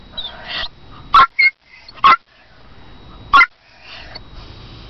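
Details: Fifi, a toy poodle, barks for her owner. Four sharp, high yapping barks come singly and irregularly, spaced about one second apart, against a quiet room background.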